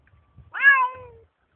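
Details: A Bengal cat kept as a pet, out in a forest, utters one clear meow that swells quickly and then fades on a long, gently falling tone. Light scuffing sounds come before and after it.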